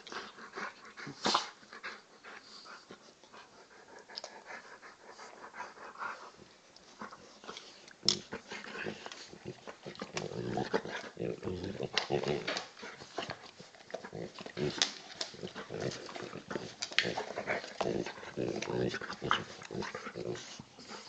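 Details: Play fight between a 10 kg Old English Bulldog puppy and a heavy 40 kg male Bullmastiff cross; long stretch of breathy growls, wheezy snorts and scuffling, with faint speech in the background.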